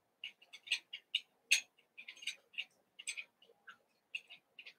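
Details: Cavalier King Charles Spaniel puppies, Daisy's litter of six merged with Robin's two pups, at play. Short high squeaks and yips come in quick irregular bursts, about seventy-five per minute, with brief silent gaps between them.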